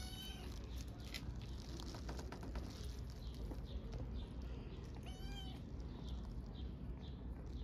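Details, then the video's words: Homeless orphaned kittens in Istanbul begging loudly for food: a run of bright, rising-then-falling meows at the start, then a quieter stretch before two more clear, strongly harmonic meows, over constant low street noise. "Hungry orphaned kittens meow loudly for food"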